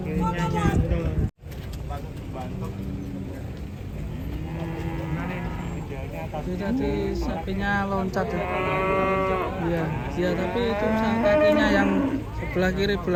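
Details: Raging cow that leapt down from a truck and broke its leg, its left hind leg caught in a gap: low drawn-out moos with rich harmonics, repeated through the clip over background music and people's voices.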